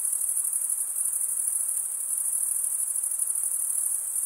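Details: Crickets chirping at night in a summer forest: a dense, continuous high-pitched trill with rapid pulsing throughout, no other animals or voices, a steady even texture.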